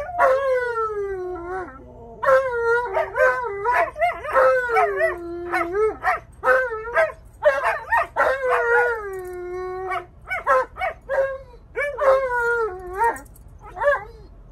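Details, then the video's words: Alaskan Malamute male talking back, complaining loudly about wearing his seatbelt. Delivers a rapid run of yodelling, rising-and-falling howls and woo-woo syllables, tightly packed and uneven, with a few longer drawn-out moans. "Mad Malamute Refuses To Listen | He Loves To Argue"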